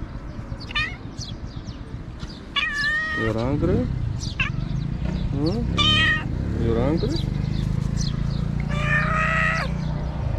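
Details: Stray cat in Morocco, a male, waiting on the street for people to throw out trash so he can find food; several drawn-out, wavering meows rise and fall amid steady low traffic-like rumble and a person's voice.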